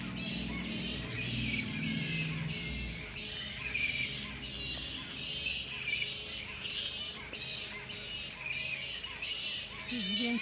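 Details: Roughly a thousand bats roosting in every tree of a tropical park on Australia's Sunshine Coast, Queensland: a continuous, dense wash of shrill, scratchy squabbling and chattering, steady throughout, over a low background hum.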